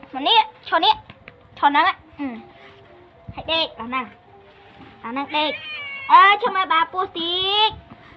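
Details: Pet cat that a young girl often plays with, feeds and sleeps beside, giving a string of short, harmonic meows that rise then fall, some drawn out, mixed with Khmer conversation in the room.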